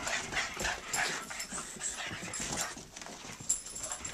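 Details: Two Boston Terriers fighting, playing and chasing each other around a house: quick breathy pants, snorts and snuffles in uneven bursts, hissy and airy, with small thumps of movement and no voices or music.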